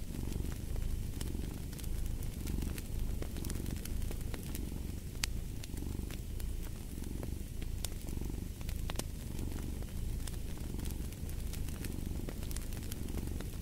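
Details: Domestic cat purring steadily in a sleep and relaxation mix, a deep rumbling drone with soft swells roughly every second, layered over the sharp crackles and pops of a fireplace.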